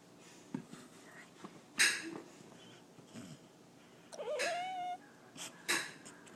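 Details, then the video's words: A pet cat named Spotty talks to birds. After soft clicks and rustles comes a single rising, chirp-like meow that levels into a drawn-out tone, followed by a sharp click. "Cute kitty Cat strange sounds talk noises"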